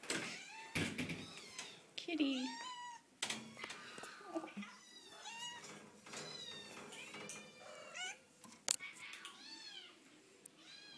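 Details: Several cats at the Animal Rescue League shelter meowing indoors, overlapping rising-and-falling meows of varied pitch, some drawn out, others short, with people talking and sharp metallic clanks from cages.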